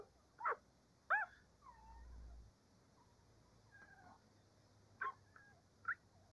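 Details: Cavalier King Charles Spaniel puppies, before breakfast, give short, high whining yips at irregular intervals.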